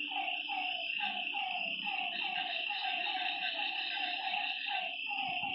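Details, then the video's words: Night frog chorus at a lake, many animals giving quick, rhythmic croaking notes about three per second, layered over a constant high-pitched insect buzz and faint low rumbling. "Lakeside night creatures and frog sounds"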